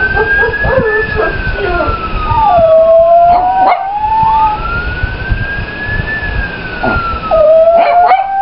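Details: Pablo, a pet Chihuahua, howls in reaction to a police siren he dislikes: long, wavering, tonal howls sliding up and down, with the rising and falling siren wail running alongside and another dog joining in.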